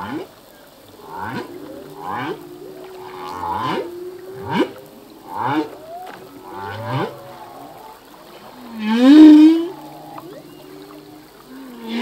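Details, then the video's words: Full-length song of a male humpback whale, whose songs change each year as new phrases are learned: a run of short rising swoops and grunts repeated about once a second, then a loud upswept moan. "Whale song - full length humpback whale song"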